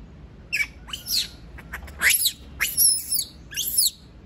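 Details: Shrill, high screams from a monkey that refuses to be left alone, delivered in quick, harsh bursts with steep upward sweeps, about one every half second, over near silence.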